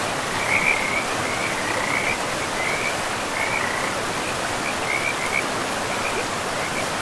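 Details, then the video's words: Frogs calling in a pristine forest with moss-covered ground beside a river: short trilled bursts at a mid-high pitch repeat irregularly over a steady broadband rush of flowing water. "River and Frogs sleep sounds"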